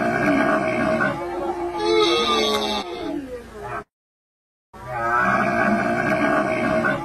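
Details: Harsh, grating grunts and moans from a camel, rough and mid-pitched, cut by a brief silence before the strained calling continues.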